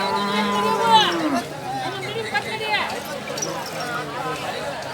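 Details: Bull, spoken of as a white Khillari-type, at the Haveri bull market held every Thursday morning: a low, drawn-out moo that slides downward over the first second, with auction speech, chatter and bidding talk around it.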